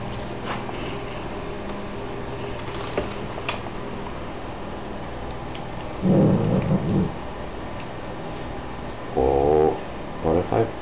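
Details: Two dachshund sisters in a tee pee dispute, giving low, rough, buzzing growls in two short bursts about three seconds apart, each lasting roughly a second, over a quiet indoor background with faint clicks.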